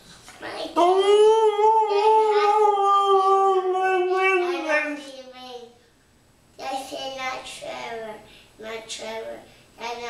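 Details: Husky named Mishka singing in a small room after grooming, one drawn-out mournful howl easing lower over four seconds, a pause, then several shorter warbling talk-like yowls in quick succession.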